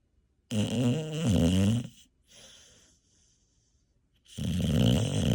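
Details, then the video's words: Lumina, a sleeping rescue bully breed puppy, snores indoors: two loud rasping snore bursts separated by a quiet breath, rich low rumbling tones with buzzy overtones, in a small quiet room. "Bully Breed Puppy Sleeping & Snoring"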